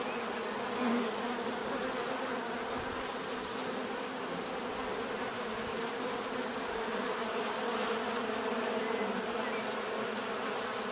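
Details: Steady bee buzzing fills the whole stretch, a rich, slightly wavering drone made of many overlapping wingbeats, with a thin constant high tone and a short louder swell near the start.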